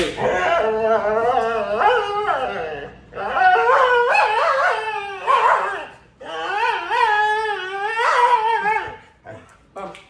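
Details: Dog in Venezuela refusing to go to bed, protesting with three long drawn-out howling moans that waver up and down in pitch, each about two to three seconds, with brief gaps between, indoors.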